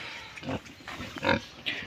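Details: Duroc pig at a Sivasagar farm, India: a few short, rough grunts and snorts spaced unevenly over two seconds, with a steady background hiss.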